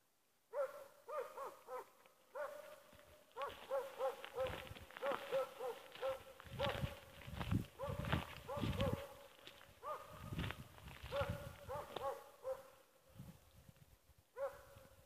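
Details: Åndorra, a dog nicknamed Schampoo, playing on her own; bursts of whining, yodel-like yelps with rich overtones open and close the stretch, while a middle section is partly covered by rustling and handling noise.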